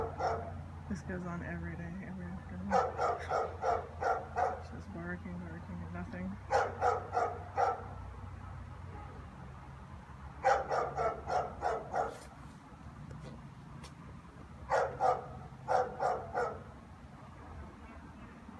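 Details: German Shepherd barking in the afternoon with nobody passing in the street; repeated volleys of five or six harsh barks, each burst lasting about a second, with pauses between and brief human speech near the start.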